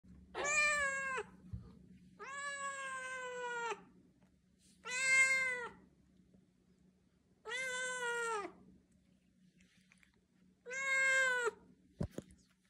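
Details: Siamese cat meowing loudly and insistently, a talkative cat giving five long drawn-out harmonic meows spaced a few seconds apart, each rising slightly then falling, in a quiet room with a faint steady hum.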